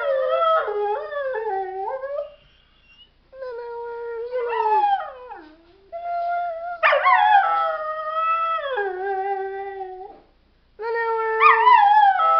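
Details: Repeated dog howls, each lasting two to four seconds, with wavering, bending pitch and strong harmonics, some dipping downward at the end, separated by short quiet gaps.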